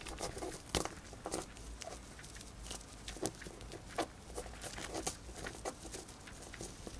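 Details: Female pet hamster nibbling a dried corn, rapid bright clicking bites spaced roughly every half second, interspersed with softer rustles, quiet indoor setting with faint hum.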